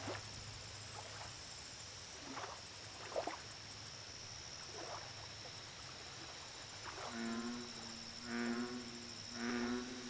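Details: Over a steady buzz of insects and high pulsed chirps, an American bullfrog at a lake croaks three times near the end: deep, resonant, harmonic notes roughly a second apart, after softer, distant calls.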